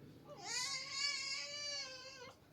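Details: Domestic cat letting out one long, plaintive wailing meow lasting about two seconds, steady in pitch with a slight rise at the start, ending before a sharp click.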